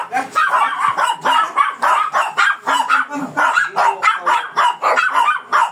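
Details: Fierce Shih Tzu being groomed in Pangasinan, barking in a rapid unbroken run of sharp yaps, roughly three to four per second, steady and insistent throughout, with faint human voices underneath.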